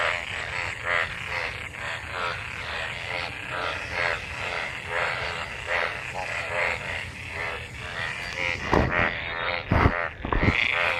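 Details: A throng of frogs in monsoon rainwater, mating, keeps up a continuous chorus of pulsed rattling croaks; near the end several sharp thumps and bangs cut through.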